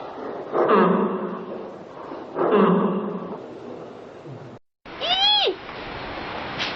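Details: Panda giving two broad, husky honking bursts about two seconds apart, followed after a brief silence by a higher, arched, bleating call with strong harmonics, set against steady background hiss.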